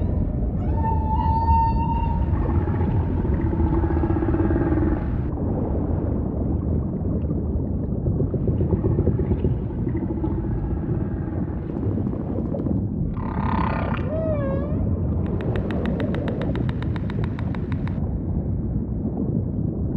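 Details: Humpback song phrases: a sustained harmonic moan, then a burst of broadband noise with wavering cries and a dip-and-rise note, ending in a long buzzing pulsed rasp over rumbling sea noise.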